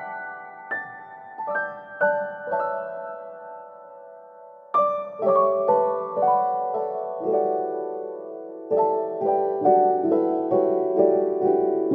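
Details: A gentle piano melody plays slow, ringing chords and notes from start to finish.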